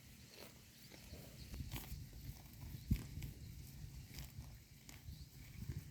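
Cows graze with a steady low rustle of tearing and chewing grass, broken by soft thuds and clicks.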